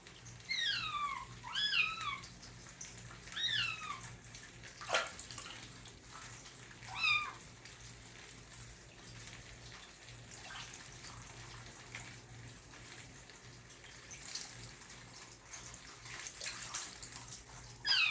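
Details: Kitten, newly rescued, during its first bath indoors, gives repeated high, falling mews, several in quick succession early on and more scattered later, with splashing water and a faint low hum behind.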